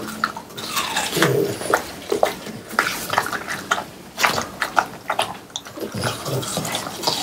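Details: Three French Bulldogs eating watermelon on a hot summer day, recorded close-up for ASMR: rapid, irregular wet smacking and slurping with crisp crunching clicks, bursts every fraction of a second, some dripping-like splashes.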